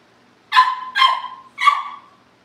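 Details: Cavalier King Charles Spaniel puppies at a home livestream before family pick-ups; three high, yappy barks in quick succession, each trailing off, in a quiet room.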